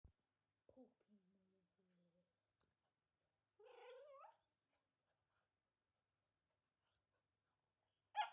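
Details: Puppy wanting to play and biting, giving soft, quiet whimpers followed by a longer, rising whine, then a short sharp sound at the end amid near silence.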